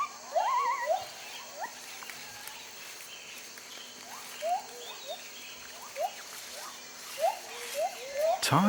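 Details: Scattered upslurred gibbon hoots from white-handed gibbons in their forest territory, sparse and fairly distant, with a low steady hum behind and a sharp rustling crash at the close.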